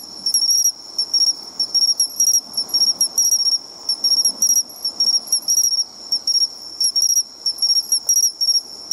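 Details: By the shore, bell crickets give crisp, high, tinkling chirps in steady repeated bursts about twice a second, above a continuous high insect hum and a muffled low background wash.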